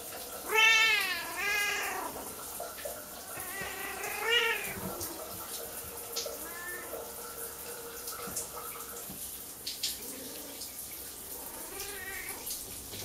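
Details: A female Siamese cat gives loud, drawn-out meows, each rising then falling, at uneven intervals; she dislikes her owner's shower and meows loudly before it, even when petted.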